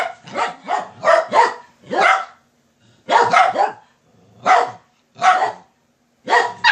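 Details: Dogs raising the alarm so their mom gets up: loud, harsh barks in quick clusters of two to four, separated by short silent pauses.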